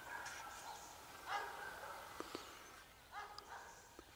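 A Maremma Sheepdog gives a few short, harmonic yelping barks spaced between quieter moments.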